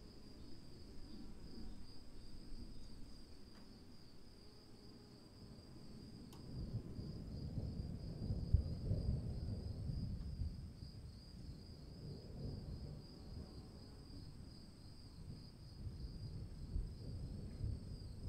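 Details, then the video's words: Rainy-night cricket chorus: a high, finely pulsing trill holds steady throughout, while the rain's low roar swells and fades in waves, with one sharp tap near the start. "1 hour of cricket sounds in the rain"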